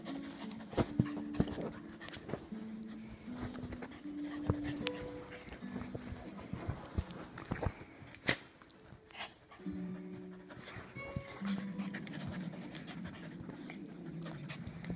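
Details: Playful rough-housing by Rosie, a 7-month-old Toy Fox Terrier puppy in foster care, with the household's dogs: drawn-out low humming growls rising and falling, bursts of panting, and scattered thumps and clicks of movement.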